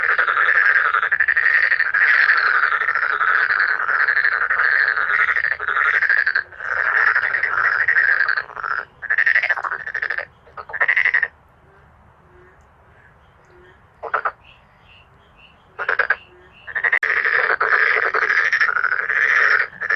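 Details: Male black-spotted pond frogs croaking in a forceful chorus: fast rattling calls in long bursts, then a quieter stretch with brief isolated croaks before the chorus resumes.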